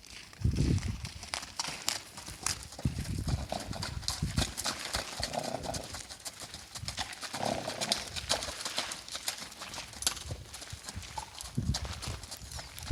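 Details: Icelandic horse, a male, running outdoors after being chased by riders, giving faint, soft vocal sounds under steady, rapid hoofbeats. The sounds were said to be louder earlier and taken as thanks for making him run.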